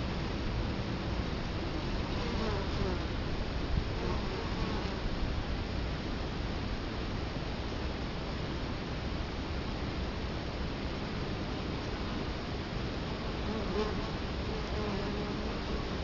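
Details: Dense droning of Italian honey bees crowding a hive entrance in Colorado Springs, October 2011, filmed up close: an unbroken low hum with individual bees passing nearer now and then.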